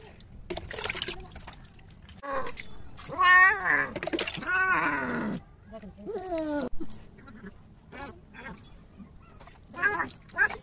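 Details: Domestic cat at bath time, with wavering, complaining meows that bend up and down, mixed with splashing water and a person talking in the background.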